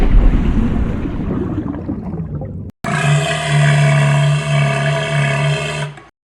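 A walrus gives a deep, sustained droning bellow with a rich, buzzy harmonic tone after a stretch of rumbling noise.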